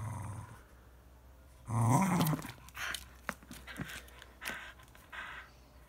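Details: Fox Terrier Evie attacking a ball gives one short, loud wavering growl, followed by clicks, knocks and scuffling sounds of play.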